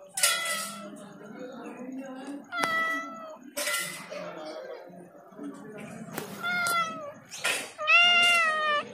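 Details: Domestic cat meowing very loudly in short bursts scattered through the recording, with clicks and knocks between calls and a clear, rich final meow near the end; a faint steady high tone persists throughout.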